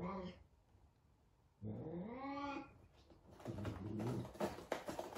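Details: Frightened F2 Savannah cat meeting a little kitten for the first time indoors: a brief wail, then a longer arching moan that rises and falls over a second, followed by scuffling and clattering noises.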